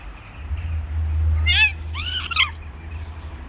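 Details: Stray street cats, a male trying to mate with a female by force: two loud harmonic wailing meows, the first rising then falling, the second a long arched cry, over a steady low traffic hum.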